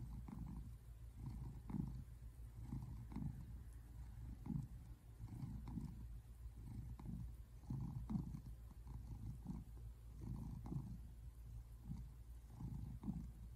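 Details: Simon, an American Shorthair tabby cat, purrs while relaxing on the couch on February 8, 2024: a low, rumbling pulse with steady rhythmic surges roughly twice a second over a constant low hum.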